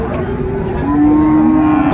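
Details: Friesian or cross-breed young bull at a busy Raniganj livestock market in Dinajpur, Bangladesh, on 2 January 2025, giving a single level, sustained low moo in the second half, with market babble and men talking throughout.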